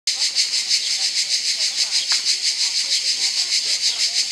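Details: A cicada recorded in Albania gives a shrill, steady buzz pulsing about three times a second.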